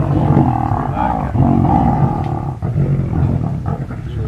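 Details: A large pride of lions feeding, heard from a distance through trees, growls and snarls in deep, rumbling bursts that overlap and rarely pause.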